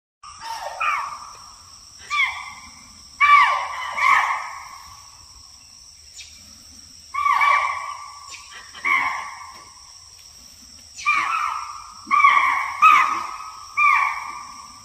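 A deer gives high, whining calls that slide downward, repeated every second or two.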